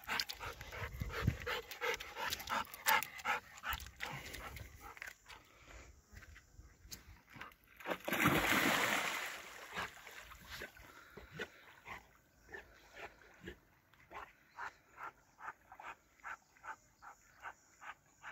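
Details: Nine-year-old golden retriever panting while fetching a wooden stick at a lake: quick, rhythmic, breathy pants, roughly three per second, broken midway by a burst of broad rushing noise, then the pants resume more softly.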